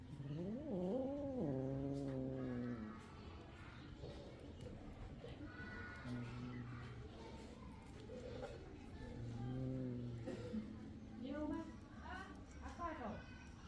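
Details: Kitten at its milk, calling with drawn-out wavering mews, some rising and falling, spaced every few seconds, over low steady background noise.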